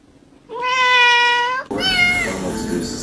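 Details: Domestic cat meowing: one long, steady, bright meow held for about a second, then a clipped cut to a second cat giving rougher, slightly falling mews with faint background noise.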